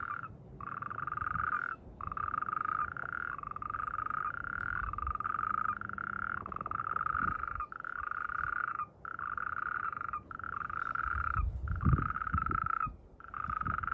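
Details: Natterjack toad croaking during mating season, in amplexus: long loud rattling trills around one to two seconds each, repeated almost without pause, with faint low rumbling in the background.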